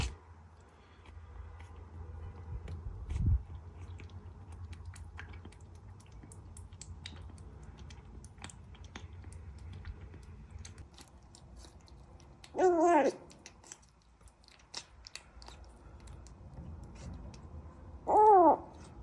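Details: Small rescued kitten found alone in flowers by a front door, crying; a long quiet stretch with light handling noise, then two short wavering meows, about five seconds apart.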